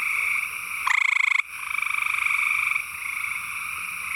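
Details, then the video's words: A male gray treefrog (Hyla versicolor) in East Texas gives its loud, musical pulsed trill, calling to attract a mate; females prefer males with longer call segments. "Calling Gray Treefrog, Hyla versicolor"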